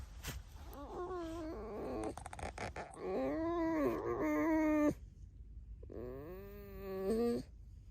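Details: Pet red fox kept at home, giving a run of tonal, harmonic squeaks and whines that arch up and down, several in quick succession, then a longer wavering squeal after a short pause; quiet indoor background.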